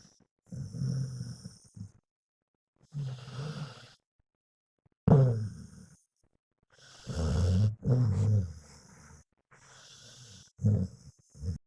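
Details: Sleeping pet dog snoring: deep, throaty, rattling breaths come every two to three seconds, some with a sharper snort at the start, between quiet pauses.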